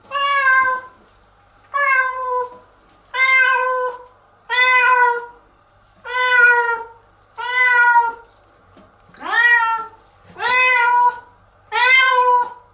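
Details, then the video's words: Domestic cat named Nora crying in protest while being given a bath; nine loud, harmonic meows in a row, each about a second long, bending down at the end, spaced roughly every one and a half seconds in a quiet small room. "鳴き叫んで抵抗したけれど とうとう洗われちゃった猫！"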